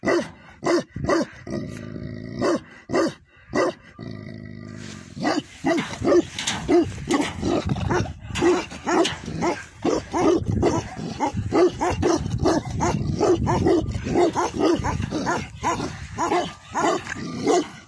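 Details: Tibetan Mastiff, known locally as Bhote Kukur, at a yak farm in Nepal barking in a long, irregular volley of deep woofs, starting with spaced barks and a faint tonal drone, then becoming rapid and continuous.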